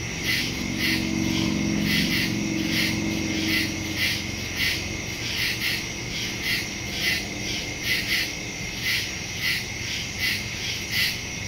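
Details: Many crickets chirping in the woods after dark, September 2, 2023, Samsung Galaxy S22 Ultra phone with Shure MV88+ stereo microphone; a low rumble like a passing vehicle fills the first seconds, then the high rhythmic pulsing chorus continues alone.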